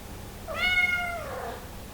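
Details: A single drawn-out meow from a hungry Somali cat asking to come into the living room, starting strong and sliding downward over about one second, in a quiet room with a low hum.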